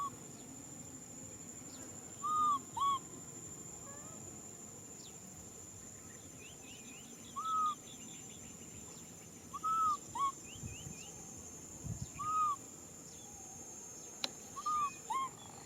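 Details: Baby macaque crying to be hugged, giving short, arched, whistle-like coos in pairs or singly every two to three seconds across the clip, with a faint steady high-pitched hum throughout.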